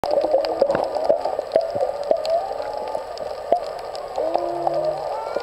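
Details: Whales heard underwater off old Airport Beach near Kaanapali, Maui: a steady mid-pitched moaning tone with short upward whoops and a few brief low buzzy notes, over constant crackling snaps and clicks.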